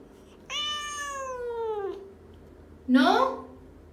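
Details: Indoors, talking house cat Mo, a female that has learned to say 'no', utters a long descending meow of over a second, followed after a pause by a short, lower human 'no'.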